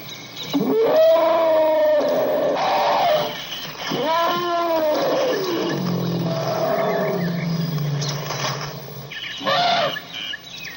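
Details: Elephant giving repeated trumpet calls: two long, blaring, harmonic-rich blasts that arch upward and fall, a lower growling rumble between them, and a short, sharp trumpet near the end.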